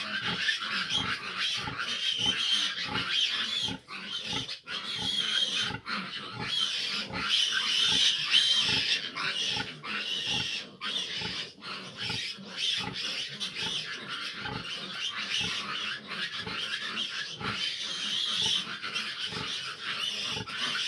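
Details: A sow has difficulty nursing her litter of fifteen large piglets. Their continuous high squealing mixes with rapid low grunts, close to three per second, unevenly spaced, over twenty seconds.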